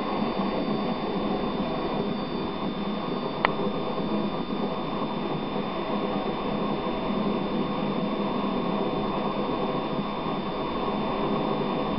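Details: Constant roaring wind or surf noise on a beach in Devon, with a steady high whine and no animal sound heard.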